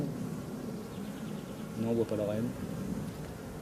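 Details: Honey bees from a drone-laying hive, frames shaken out about fifty metres from the apiary so the laying workers do not return. A brief low, harmonic buzz of a passing bee rises above steady background hum.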